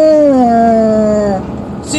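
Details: Female basset hound, a pet, singing the blues on command: a long, clear, falling howl that glides steadily downward for over a second, then cuts off, followed by a short quiet breath.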